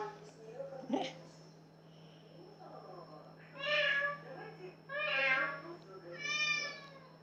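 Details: Domestic cat singing: three drawn-out, harmonic meows in quick succession in the second half, each rising then falling, after a soft click and faint murmuring; a steady low hum and a thin high tone run throughout.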